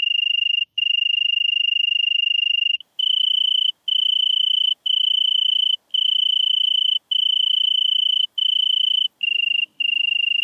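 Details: Song of a European tree cricket in Venezia, Italy, 2 September 2021: clear, even trilled notes, a long opening phrase then a series of roughly one-second bursts with short breaks, pitch stepping slightly higher midway.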